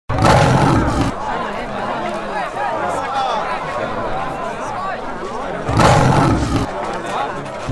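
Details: A Royal Bengal tiger gives two deep, rumbling roars over steady crowd chatter.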